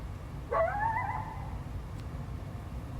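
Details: Wild coyote responding to a barking dog intruding on its territory, 12 February 2025: one clear howl that starts with a quick upward yelp, then holds and slowly falls for about a second, against low steady background noise.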